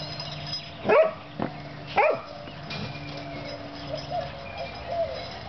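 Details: Playful puppies Oreo and Brutus let out two sharp high barks about a second apart, followed by a faint yip and quiet whimpers over a steady background hum.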